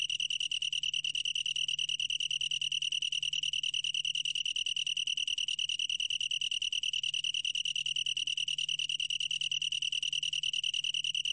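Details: Continuous chirring of a long-tailed tree cricket, a high clear tone pulsing rapidly and evenly at about ten beats per second without a break, faint hum in the background.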